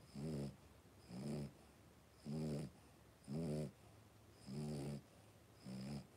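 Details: Three-week-old Cavalier King Charles Spaniel puppies, blenheim coloured, five siblings playing indoors in a puppy pen; regular rasping, snore-like grunts pulse about once a second, six bursts in all.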